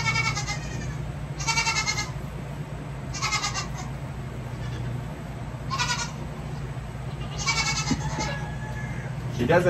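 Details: Baby goats bleating while their hooves are trimmed; repeated short, wavering bleats every one to two seconds, with a woman's voice talking and a steady low hum behind.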